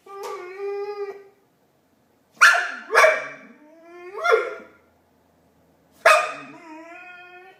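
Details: Pet dog Marley producing Chewbacca-style noises: a long tonal howl-like moan, then a series of harsh, rasping, upward-sweeping groans, and a final drawn-out whining yowl.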